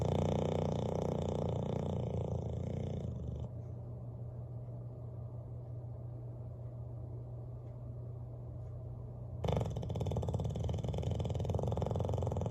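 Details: Bulldog named Bailey sleeping beside the fireplace, snoring in a low, throaty rumble; a loud opening passage gives way to a quieter hum before the heavy snore returns near the end.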